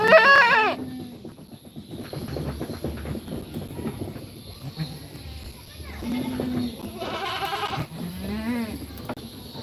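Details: Young goats in a pen while being fed: a sharp, quavering bleat opens, then softer bleating later, mixed with human voices and pen noises.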